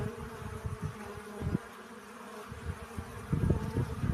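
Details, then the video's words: Low buzzing of bees collecting pollen under heavy bursts of low rumble, like wind or handling noise, which ease in the middle and return toward the end. "Relaxing Bee Sounds. Сбор пыльцы."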